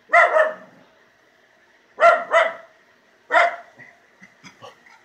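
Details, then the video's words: Jake, a male Miniature Schnauzer hunting the yard and acting fierce, barks at something outside: four sharp, harsh barks, a single one followed by a quick pair and then another, with quieter huffs trailing off at the end. "What's my mini-schnauzer barking at?"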